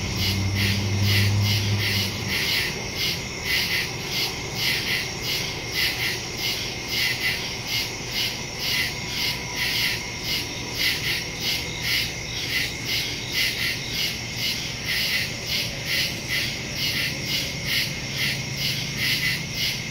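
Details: Woodland cricket chorus at night on September 2, 2023, taped via Samsung Galaxy S22 Ultra and Shure MV88+ mic; many overlapping high chirps beat in steady pulses throughout, a brief low hum at the start.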